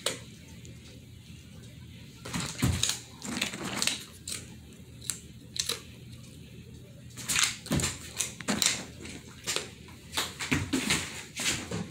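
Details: Indoor room with sharp tapping and crunching clicks in bursts, faint voices murmuring between them, and no animal calls.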